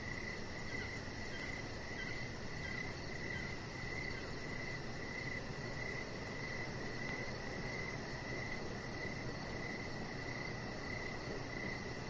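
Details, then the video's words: Outdoor evening cricket chorus near a deck, a repeated high chirp steadily pulsing throughout, layered over a faint shimmering high band and a low constant rumble. "Chihuahua Puppy Laying On Deck with Cricket Sounds"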